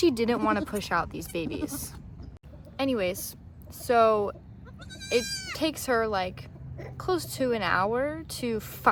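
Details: Nigerian Dwarf dairy goats on a Northern California farm as the doe Maggie gives birth to twins, her first kidding; quavering, wavering bleats with a woman's soothing speech between them.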